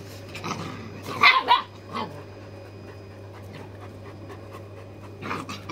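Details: Farm dog puppies playing with their older brother; a few short, harsh barks or yelps burst out near the start, then quiet scuffling and a faint hum, with another brief yelp at the end.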